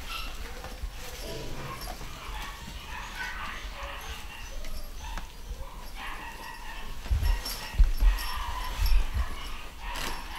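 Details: A litter of pedigree Scottish Terrier puppies in the UK, vaccinated and ready to leave, letting out soft, thin whines and brief yips among muffled bumps, shuffling and faint human voices.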